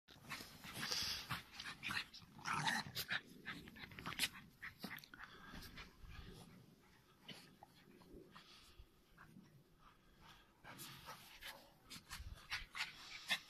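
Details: Norwich Terrier playing in winter, with quick breathy panting, short snorts and bursts of bright noise from movement in snow, irregular and busy throughout.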